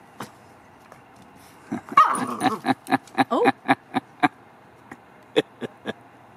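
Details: Dogs at play: a Labrador Retriever named Duncan tries to get a reluctant Cavalier named Bogie to play; a burst of sharp, quick barks and yips, a few per second, tapering into scattered single yaps with quiet gaps.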